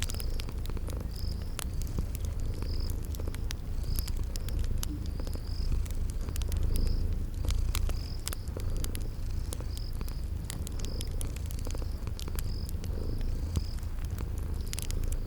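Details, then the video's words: Low, unbroken purring of sleeping kitties by a crackling fireplace, with rhythmic high cricket chirps and scattered fire pops in a spring garden soundscape. "Relax with Cute Sleeping Purring Kitties"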